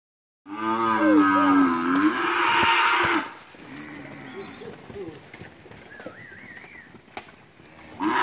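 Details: Cattle, a group of heifers and cows recorded in August 2016 at Capira: one long loud harmonic moo lasting about three seconds, followed by quieter lowing and a brief higher wavering call in the background.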